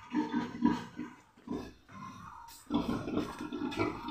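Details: Domestic pig, a sow giving birth to ten piglets on a small pig-raising farm; low, rhythmic grunts come in quick clusters several times a second, pause briefly mid-clip, then resume in a steady run.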